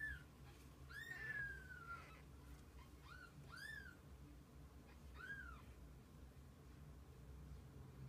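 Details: Kittens together with their mother cat; several arched, plaintive mews, one drawn out and sliding downward, the others brief and bent, separated by pauses over a quiet low hum.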